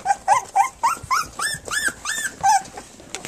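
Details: Three-week-old puppies of Flute nursing and playing on their three-week birthday; a quick run of high, squeaky whimpers and yips, each one rising then falling, about eight in three seconds, with a soft voice in the background.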